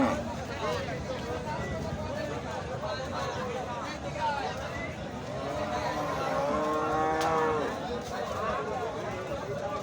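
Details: Eid cattle at Chatmohar cattle market, brought by a trader from Cumilla; a drawn-out, wavering low moo rises above a busy crowd with steady talk, music and traffic noise throughout.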